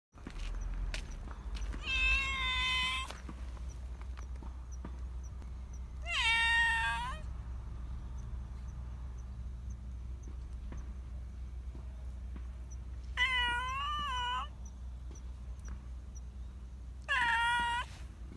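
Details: Black Persian cat living in a park as a community cat, calling often because it wants attention and affection; four drawn-out, wavering meows spaced a few seconds apart over a low steady rumble of background noise.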